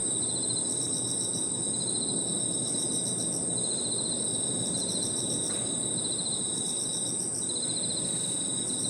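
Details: Crickets and other insects singing on an evening in a park: a steady high shrill tone over rapid pulsed trills that start and stop in bursts, all above a constant low background rumble.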